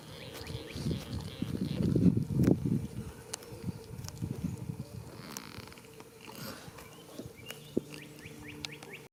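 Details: Goat asleep in a field on the first day of spring, snoring: rough, low breathy rasps with a loud burst of grunting breaths early on, then softer, uneven exhalations fading out, with faint bird chirps high above.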